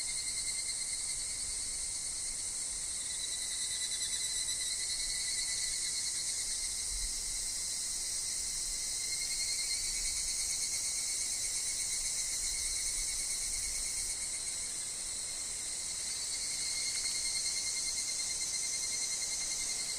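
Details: Higurashi cicadas sing in a wooded forest with wind and falling leaves; their rapid high pulsing buzz fills twenty seconds without pause, slightly swelling and easing, above a persistent thin lower tone.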